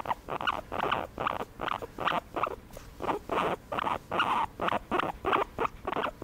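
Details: Pet guinea pig being massaged makes loud, rapid chattering squeaks, pulses running close together at about three per second with only tiny gaps between them.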